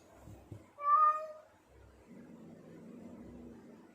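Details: Male cat in heat calling to attract females: a single short, loud, level meow, followed by a low, soft rumbling murmur and faint thumps.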